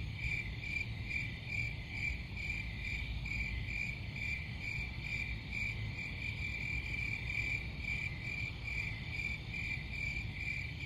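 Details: Steady cricket chorus: rapid high-pitched chirps pulsing in a regular rhythm, roughly two bursts per second, layered over a constant low rumble.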